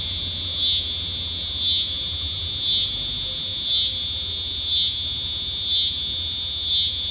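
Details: Shrill, sustained cicada buzz, interrupted by a brief swooping dip about once per second, giving a regular throbbing pattern with little else audible.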